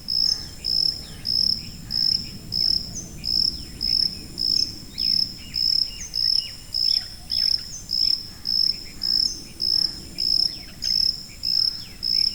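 A cricket repeats a high, pure, ringing chirp, close to twice a second, steady throughout.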